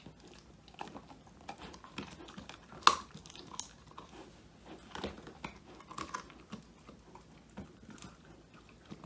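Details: Old English Sheepdog Woody, male, eating his first treat, a whole quail, captured by phone indoors: soft steady chewing and crunching with one sharp loud crack near the start, faint room hiss.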